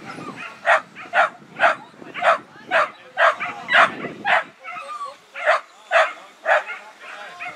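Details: Male whippet sprinter at a race finale in Zehlendorf on 25 May 2019: sharp, excited barks or yips, repeated about twice a second in a steady string, with faint voices underneath.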